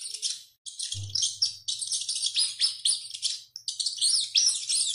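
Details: Rat screaming while running: bursts of piercing high squeaks packed closely together, a brief silence after the opening half second, and a low steady hum entering at about one second.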